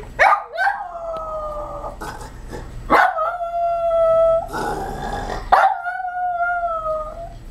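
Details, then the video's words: Yorkshire Terrier howling with excitement as its owner arrives home: a series of long, steady, tuneful howls, each one to two seconds, starting with a sharp onset, some overlapping with brief yips, indoors. "Yorkie does the howl"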